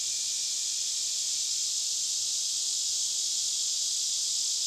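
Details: Cicadas deep within a forest, several miles in on foot, captured with a Sony A7R2 camera: a continuous, high, hissing buzz drone that holds steady without breaks or rhythm throughout.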